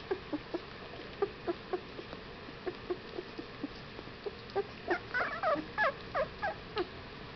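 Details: Young Whippet puppies at 15 days old, soft scattered squeaks at first, then a louder burst of overlapping whiny cries and yelps toward the end.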